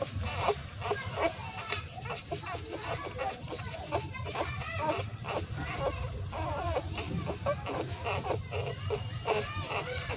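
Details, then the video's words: Hungry three-day-old newborn street puppies nursing from their mother inside a pipe, giving a dense run of high, squealing whines and squeaks, many overlapping, rising and falling without pause. "3 Days Old Newborn Puppies Nursing and making Sound so Loudly in Pipe, Hungry Puppies Breastfeeding"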